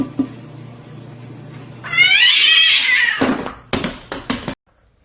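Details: Domestic cat gives a loud, drawn-out meow that rises and then holds a bright, strained whine for over a second, followed by several short clipped mewing bursts, with faint room noise before it.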